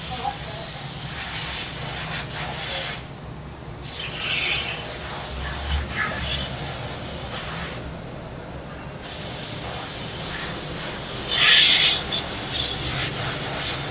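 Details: Cicadas singing in summer in a quiet back alley of a Korean city, recorded on site: a loud, high, hissing buzz swells in long bursts of about four seconds, broken by short silences, over a low rumble of city traffic.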